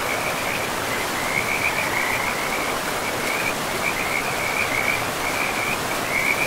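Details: High, chattering frog calls from beside a pristine forest river, overlapping short trills repeating steadily at one pitch, with the steady wash of the stream filling the background.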